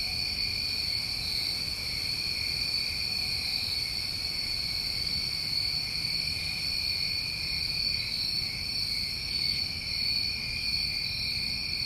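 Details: Constant shrill chorus of New England crickets on a summer recording, two even high trill bands running without pause, with a faint low rumble underneath.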